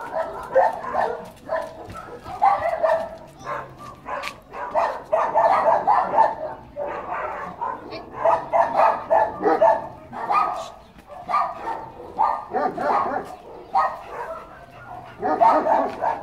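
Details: White Labrador mix named Rubio giving a long run of short, clustered barks and yips, several per second, broken by brief pauses between groups.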